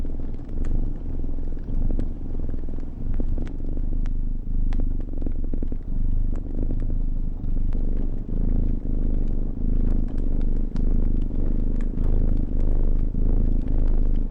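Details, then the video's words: Sleepy cat purring in a warm attic bedroom beside a crackling fire; steady low rumbling purr throughout, overlaid with frequent sharp pops and crackles of burning wood. "Cat Purr & Fire Crackles"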